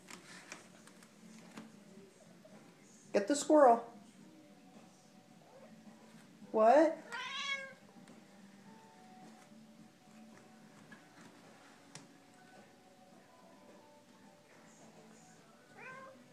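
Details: A chatty female Siamese cat gives a few loud, drawn-out, wavering meows while a person quietly asks whether she sees a squirrel; a Siamese cat meowing.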